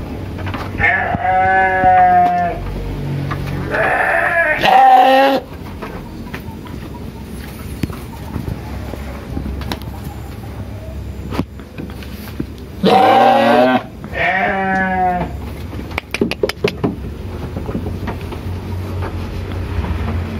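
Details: Sheep on a village farm in Indonesia bleating for food: four strong, quavering bleats in two pairs, separated by quieter stretches of rustling and scattered knocks.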